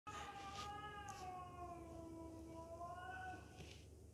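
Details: Sibling cats fighting, aggression between them: a long drawn-out yowl with a wavering, slowly falling then rising harmonic tone held for over three seconds, with a low steady hum beneath.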